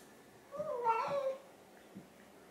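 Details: Pet cat, one of two tabbies (orange and grey mackerel) too hungry to wait for their meal, pleading for food: a loud wavering meow that dips and rises over about a second, followed by soft thuds in a quiet home.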